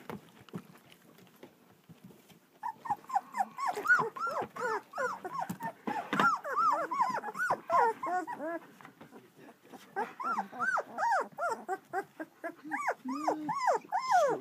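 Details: Two-week-old German Shepherd puppies from Vom Barron's Pride in Florida, a litter crying together: rapid, overlapping high arched squeals and whimpers, each rising then falling, that start after a quiet opening and keep going in busy bursts.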